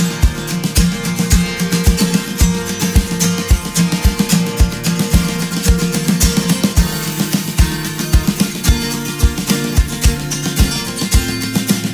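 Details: Acoustic guitar music with a steady plucked and strummed rhythm and a low repeated bass beat throughout; no animal sound is heard.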